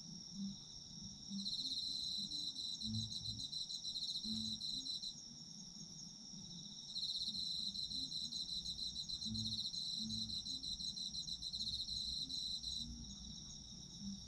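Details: Autumn insect chorus meant for sleep: a continuous shrill ringing band punctuated by two long loud trilled bouts of about four to six seconds each, with soft low rumbling sounds underneath.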